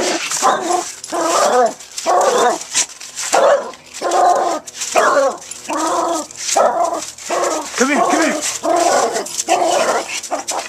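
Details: Pet dog playing with a brick in a backyard, giving rhythmic whining, moaning vocalisations about once a second in roughly ten bursts, with a man talking encouragingly between them.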